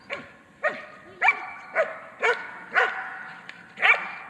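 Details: German Shepherd during protection training holding an intruder by barking, pressing the decoy energetically: loud harsh barks repeated about every half second, each with a high ringing overtone, steady and insistent.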